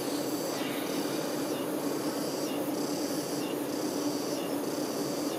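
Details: Honey bee workers tending a queen produce an even, low buzzing hum. A rhythmic, rasping high pulse returns about once a second over the drone.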